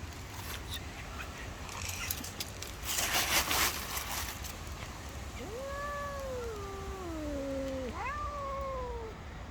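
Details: Stray street cats quarrelling over shared food; after a scuffle and rustle, long descending yowls slide downward, then a second rising-falling wail follows, with steady background hum.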